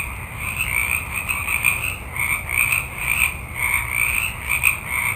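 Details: Chorus of many frogs at night in a forest: overlapping croaks pulse about once a second in low and higher bands, with an unbroken high hum throughout.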